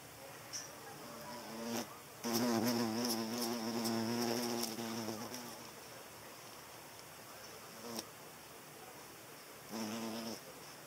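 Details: Hornet chasing away butterflies, with a loud wavering buzz for about three seconds that rises and dips in pitch as it passes close, then short buzzing bursts as it returns twice.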